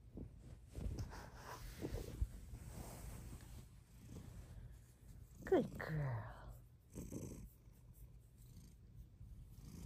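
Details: Female pet cat lying down on request, purring loudly indoors; a steady low rumbling purr runs throughout, with a woman's soft voice praising her partway through.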